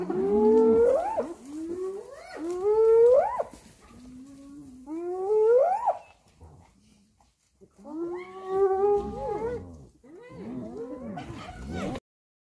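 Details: Hyenas attacking another hyena give loud, drawn-out rising whoops with rich overtones, about one every two seconds, then a short pause before more wavering cries and a tremulous final call.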